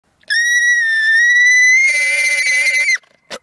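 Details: Alpaca screaming: one loud, piercing, high-pitched shriek held for nearly three seconds. It stays steady, rises slightly and turns harsher in its second half, then stops abruptly and is followed by a brief click.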